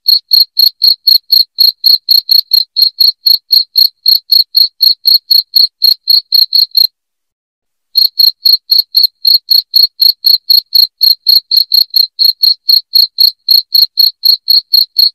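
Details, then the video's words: Shrill cricket chirps used to chase rats from a house: rapid, regular high pulses about four per second, broken by a one-second pause around the middle, then resuming evenly. "SUARA JANGKRIK NYARING PENGUSIR TIKUS"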